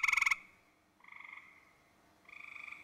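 A gray tree frog gives short, musical pulsed trills with brief pauses between them.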